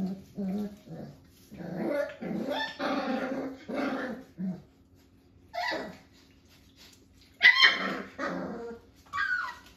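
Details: Jack-A-Bee (Beagle x Jack Russell) puppies, five weeks old, at play with a cousin dog. Rapid runs of gruff little barks and growly yaps in clustered bursts, a pause, then shriller squealing yelps toward the end.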